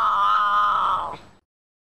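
A cougar gives a single drawn-out, tonal yowl of just over a second, steady and mid-pitched before dipping and fading out abruptly.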